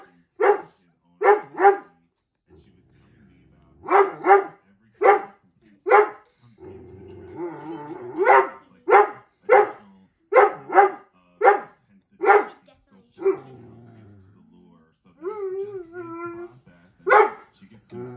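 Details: Indoor Dobermann reacting to dogs on a TV screen with bursts of sharp, deep barks in groups of two or three, repeated many times across the clip, between stretches of TV commentary and race sound.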